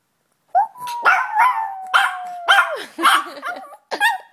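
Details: Young Yorkshire Terrier practicing howling inside a house: a sustained tone drifting gently down, then wavering and breaking, with several short sharp yelp-like bursts between the sustained notes.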